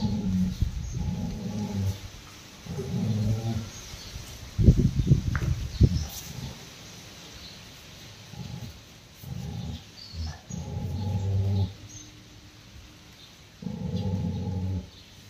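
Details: Rottweiler growling at its owner while a ball is offered, guarding it from a distance: low rumbling growls in bursts of one to two seconds, recurring about every three seconds, with a louder broken outburst midway.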